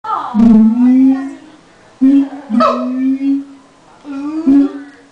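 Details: Siamangs at a zoo in Los Angeles calling just before lunch time, the male leading: long, steady, hooting tones with rich overtones, separated by short swooping whoops at about half-second, two-and-a-half and four-and-a-half seconds.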